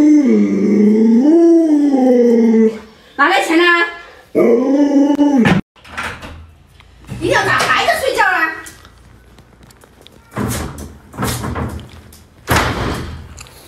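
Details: Pet Alaskan Malamute Luoluo, a dog with many tricks, calls to wake an owner who refuses to get up. A sustained, bending howl opens, followed by short choppy woos and later scattered sharper noises and rustling.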